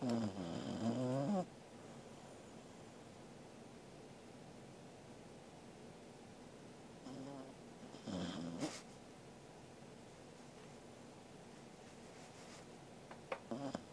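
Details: Angela, a corgi, sleeping indoors on 13 August 2021: a throaty, rasping snore opens, then a long quiet pause, another short snort near the middle and a brief rough breath at the end.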